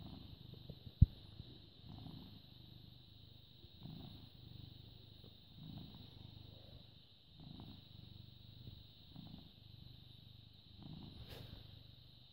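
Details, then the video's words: Low, steady purr from a British Shorthair cat born in 2010, recorded 14 May 2017 at 09:16; soft rumbling waves repeat every second or so in an even breathing rhythm, one loud tap early on, faint high-pitched hum throughout. "British Shorthair Cat purring"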